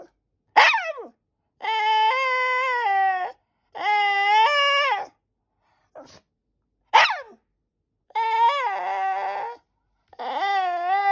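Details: White Shiba Inu demanding a snack from its mother indoors, alternating sharp falling yelps with long sustained harmonic whines, some wavering and cracking, repeated in a persistent begging pattern.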